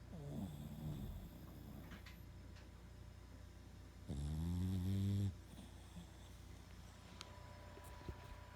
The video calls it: Max the Boston Terrier Snoring Like The Three Stooges